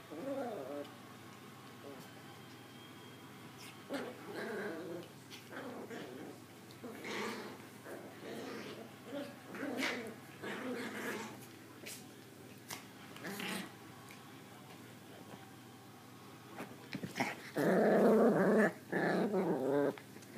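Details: Two young female Maltese puppies scuffle in play, one smaller and the instigator; short bursts of low growling and high yips come in uneven bouts, ending in a louder, rough growling tussle, with faint human speech in places.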